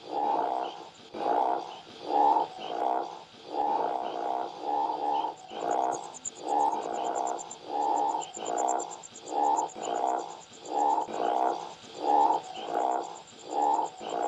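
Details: Rice field frog croaking in steady, pulsed, grating bursts repeated roughly every half second to second. A thin, high, rapidly pulsing buzz runs continuously in the background.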